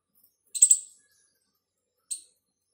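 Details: A squirrel gives sharp, high chips, a quick double burst then a single short one after a pause; thought to be calling its partner.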